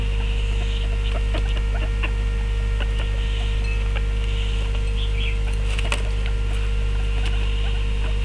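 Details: Three pet guinea pigs, two males and a female, talking at meal time: scattered short squeaks and quick clicking patter, with sharper bursts near the six-second mark, all over a constant low electrical hum.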